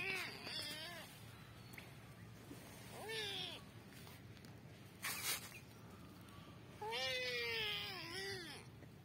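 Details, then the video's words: Fighting cats trade several wavering, moaning yowls of shifting pitch. Short bursts of scuffling noise break in between the calls. "Extended Cat Fight Compilation"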